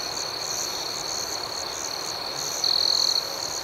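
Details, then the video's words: Nighttime crickets keep up a dense, even, high trill with regular pulsing chirps above it; a louder, closer trill swells in near the end. "Soothing Cricket Sounds"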